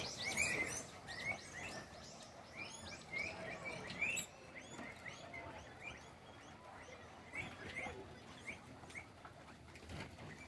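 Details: Guinea pig excited that food is about to arrive, giving repeated short rising squeaky whistles, several in quick bursts and then fainter ones, with soft rustling in the background.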